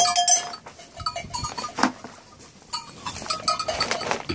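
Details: Domestic goats, two of them, being milked to feed a motherless lamb by bottle. A few thin, level bleats sound among bursts of rustling, clinking and squirting noise.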